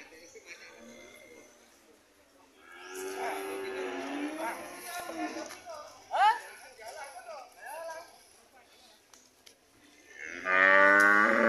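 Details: Red cows returning home, giving long wavering moos with curved pitch, one after another, among people talking and shouting, ending in a loud harsh burst of sound.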